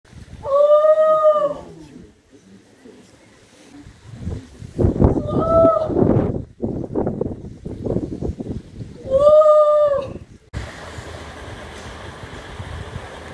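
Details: A seal at the Cornish Seal Sanctuary, a rescue and rehabilitation centre near Gweek, Cornwall, on the Helford estuary, gives drawn-out, nasal wailing calls with a rich stack of harmonics, repeated a few times.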